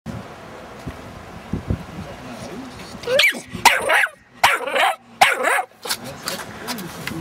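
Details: A blue (stone-grey) Staffordshire Bull Terrier puppy with white chest highlights gives short, sharp barks and yips while guarding a van.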